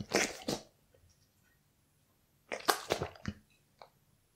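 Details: Raw beef being chewed by a Bull Terrier indoors: two short wet crunching bursts separated by a quiet gap, with a faint click at the end.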